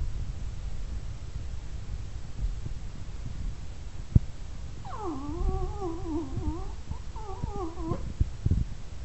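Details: Jack Russell Terrier indoors, begging to go for a walk: after about five seconds of quiet room noise, a wavering, warbling whine rises and dips for nearly two seconds, pauses briefly, then a shorter wavering whine follows; a few soft clicks.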